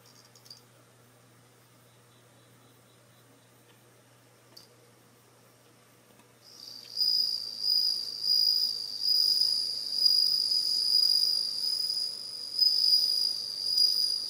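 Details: Home-kept bell crickets, about ten with only one female, sing a high, ringing trill in repeated bursts after a quiet start in early September, as autumn sets in.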